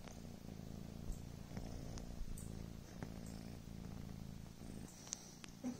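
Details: Gentle, continuous purring from Coco, a drowsy Devon Rex kitten, a soft low throb that pauses briefly and resumes, with faint ticks and rustles in a quiet room.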